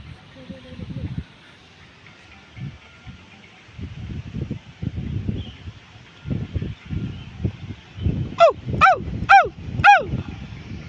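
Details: A siamang swinging and hanging at the Solo Safari zoo gives four loud, ringing calls that drop sharply in pitch, about half a second apart.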